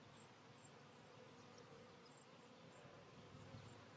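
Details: Colony of honey bees at a split hive receiving a new caged queen: a dense, even buzzing drone holds steady throughout, quiet but continuous, with faint scattered high ticks above it.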